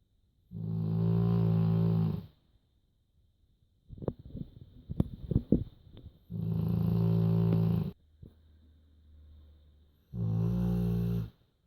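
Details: Sleeping dog Joschi snores three times, each deep rasping breath lasting under two seconds and coming roughly every four seconds, with soft clicks and rustles between the snores indoors.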